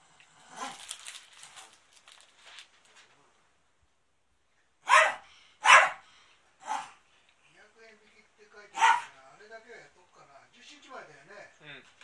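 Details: Pet dog Maro-chan barking inside the family home, 13 March 2019, amid cleaning for a drama shoot; low human talk first, then four loud, abrupt barks spaced about one to two seconds apart.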